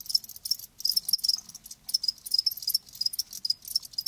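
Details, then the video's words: High, shimmering cricket chirps from live crickets, clustered bursts coming several times a second with uneven, short breaks in between. "Live Crickets 60min "Natural Sound""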